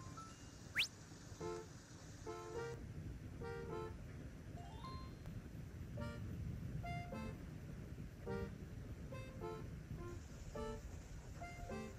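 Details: Light melodic tones over a steady low rumble of traffic, with a brief rising whistle-like sweep near the start and scattered horn-like notes.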